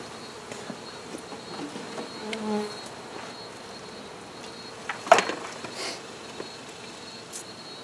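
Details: Honey bees during a hive removal: a low droning buzz swells and fades around the second and third seconds, over a constant hiss, with a sharp knock near the five-second mark and scattered light taps.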